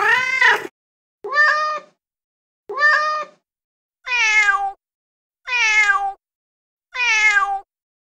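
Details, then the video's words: Male cat in heat calling loudly: six meows about every one and a half seconds, opening with a harsh, rough cry, then two short clipped meows and three longer ones that drop in pitch toward the end. "Male Cat Calling Female | Male Cat In Heat Sounds | Male Cat Mating Call | Cat Heat Sound"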